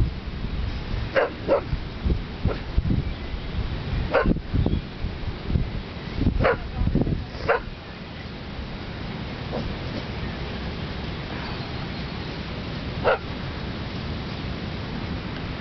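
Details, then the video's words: An English Bull Terrier barks madly at cows in sharp, irregular bursts over a low, rumbling background during a walk along the Thames. "mad english bull terrier barking at cows"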